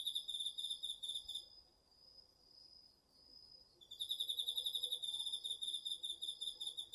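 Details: Night-time autumn insects, crickets included, in a home garden field, recorded with a DR-40X: fast repeated shrill pulses, a gap of about two seconds holding a pure continuous tone, then the high pulsed chirping returns.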